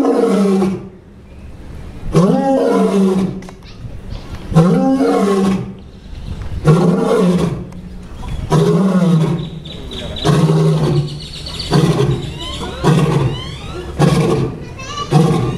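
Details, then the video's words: A male lion roars (or coughs) in a series of deep, throaty grunts, each a second or so long, from inside his enclosure at the Fort Worth Zoo, Texas, loud enough to be heard throughout the zoo. "Lion Roaring"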